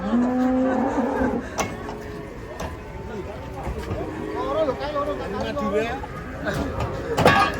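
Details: Cattle arriving from Madura moo during unloading from a truck: a strong, steady low moo in the first second, then softer wavering calls, clattering knocks and a man's voice.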